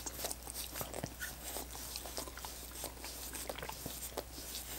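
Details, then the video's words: Pet dogs lapping at coconut water popsicles, giving a dense run of sharp, moist smacking and clicking licks with uneven spacing, set against a constant low background hum. "Dogs Licking Coconut Water Popsicles"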